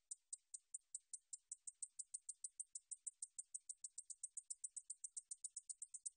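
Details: Japanese bush katydid (Ducetia japonica), song.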